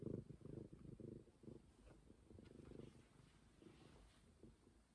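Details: Stray cat Momi purrs in a fast, even rumble of about two pulses per second, loudest at the start and slowly fading over five seconds, with no other sounds.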